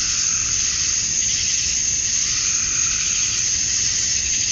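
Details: Male cicadas chirping to draw females, recorded outdoors at summer dusk in Georgia, USA; a steady, even wall of high-pitched insect buzzing without pauses.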